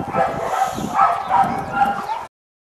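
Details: Small male dog making a string of wavering, whimpering cries with pitch swells roughly every half second, ending abruptly after two seconds.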